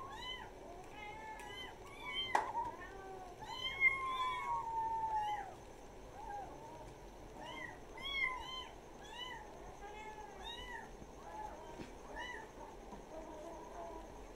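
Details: Kittens kept as village pets meowing over and over, thin high mews that rise and fall, coming in quick clustered bursts several times a second, with a steady low hum underneath.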